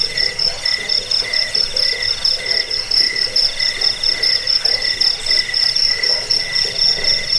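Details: Cricket chirping used as a rat-repelling, sleep-inducing track and for training birds; a continuous high shrill pulsing drone with lower rhythmic chirps repeating about twice a second, no other sounds.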